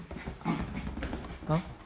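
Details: A 4-year-old female Bichon Frisé gives two loud, short barks of excited greeting to a grandmother visiting from the countryside, whom she is meeting for the first time, with people talking indoors.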